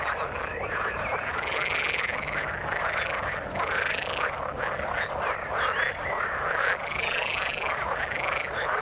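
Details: Frogs calling in the water: a dense, unbroken chorus of many overlapping croaks and short rising chirps, layered into a steady wall of sound with no pauses.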